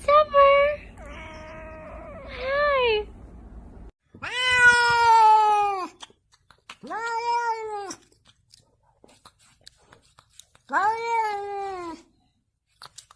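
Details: House cat meowing loudly indoors: several long, rising-then-falling meows with rich overtones, some clipped and chirpy at the start, separated by short silences.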